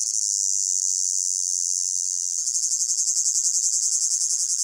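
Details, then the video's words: Crickets in a hot summer meadow, blended ambience: a smooth, steady high-pitched buzzing drone for about two seconds, then turning into a rhythmic pulsing chirr, several beats per second. "Sound of Crickets in a Hot Meadow"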